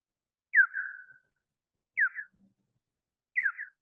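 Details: Big brown bat hunting on the Wampanoag Common Lands, its echolocation pitched down from a bioacoustic monitor and homing in on prey: three quick falling chirps about 1.4 seconds apart, the later ones shorter and choppier, over a silent background.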